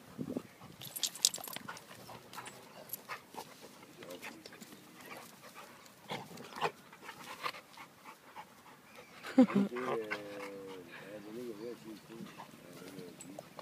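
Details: American Staffordshire Terrier playing with Elvis, a Great Dane puppy; scuffles and thumps give way near the end to a wavering, grumbling whine with strong overtones, rising and falling over about two seconds.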